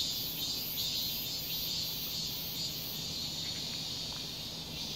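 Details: A cicada in a residential complex in summer gives a steady, high, buzzing drone with a faint pulsing edge, repeating about twice a second.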